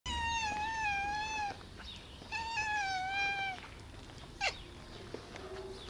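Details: Black cat giving two long, clear meows, each about one and a half seconds with a steady, slightly wavering pitch and rich harmonics, followed by a brief sharp squeak; quiet background.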